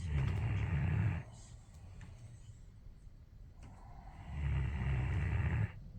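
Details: Central Asian Shepherd Dog (Alabai) snoring in its sleep, two harsh, rattling low snores lasting about a second each, separated by a few seconds of quiet, soft breathing.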